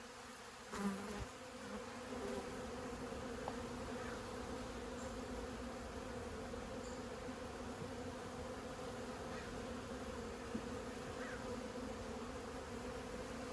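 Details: Honey bees from a 15-year-old hive built inside a house's siding, disturbed during removal: a steady, dense hum with a low drone band and a brighter overtone, continuous throughout, with a few knocks near the start.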